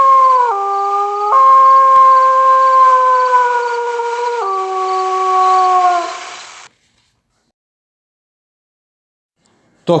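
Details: Long wolf howl made of held tones that shift in sudden steps, up once, then down twice, before fading. Several seconds of silence follow, ending with a brief sharp burst.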